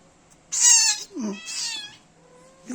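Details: One-month-old kitten nursing and cuddling with its mother: two loud, bright meows, the first long and strongly harmonic, the second shorter and rising, separated by a brief low sliding sound, with quiet room noise.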